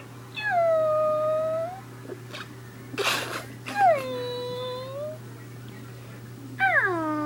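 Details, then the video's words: Puppy making drawn-out whining cries: a long falling-then-level whine, a faint squeak, a sharp noisy burst near the middle, then another curved whine and a final falling cry, indoors with a steady low hum. "What puppy's do with weird noises"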